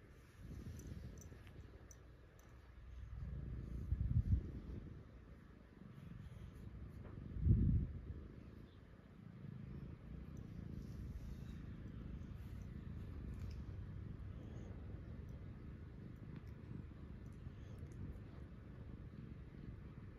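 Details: Gin-chan, a cat, purring softly in the morning; a low, steady rumbling hum that runs through the whole stretch, swelling into two louder thumps around four and seven and a half seconds.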